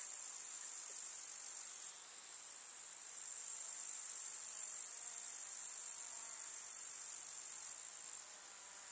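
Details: Summer meadow grasshoppers in the countryside, a dense high-pitched buzzing chirr filling the air; the chorus thins and quiets briefly near the start, surges back for most of the stretch, then drops softer again at the end.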